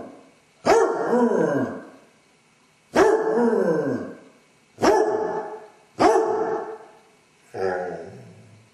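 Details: Basset Hound home alone, recorded by a camera, showing separation anxiety through five abrupt, harmonic bays about every one to two seconds, each falling in pitch, the last one shorter and lower.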